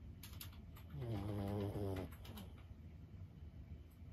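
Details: One deep, rattling snore of about a second from Lulu, a sleeping 15-year-old Boston Terrier, pulsing rough and low, followed by quiet breathing and a few light tapping clicks.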